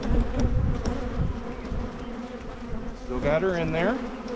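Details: Honey bee colony in Michigan being split to prevent swarming: a steady low droning hum fills the clip, with a brief burst of human speech near the end.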